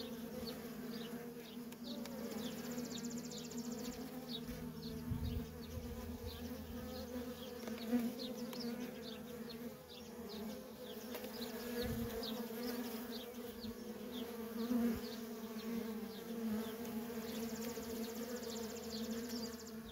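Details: Worker honey bees streaming in and out of a feral colony make an unbroken, even hum of overlapping wingbeats. Short, high bird chirps repeat faintly above it.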